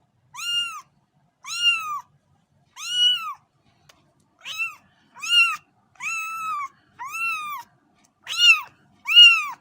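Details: Cat meowing insistently: about ten short, arched meows in a fairly quick, uneven series, some softer and some sharper, with nothing else audible.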